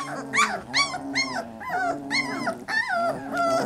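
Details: Three-week-old Labrador Retriever puppies, a litter together, give a cacophony of high, arching whines and yelps. Roughly seven overlapping cries come in quick succession, each rising then falling, with strong harmonics.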